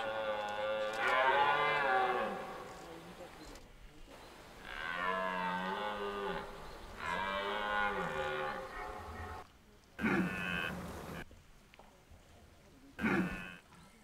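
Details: Red deer stags roaring during the 2023 rut in De Hoge Veluwe park, where rangers feed deer apples at certain spots; three long, deep, harmonic roars bending in pitch, followed by two short, harsh bellows near the end.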